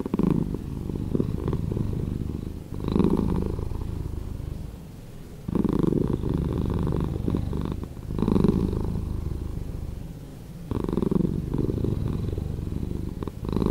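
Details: Purring house cat, slowed for comforting listening: a continuous deep vibrating rumble that swells and relaxes in regular waves around every two and a half seconds.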